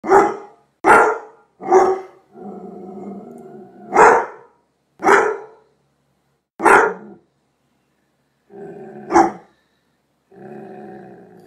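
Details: Doberman Pinscher giving loud, deep single barks roughly every second, broken by two stretches of low rumbling growl; the barking slows toward the end, with gaps between a final bark and another growl.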